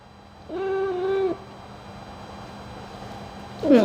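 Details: A cat being groomed with an ear cleaning lets out a single steady, tonal meow of under a second. A quiet pause follows, then the start of another cry at the very end.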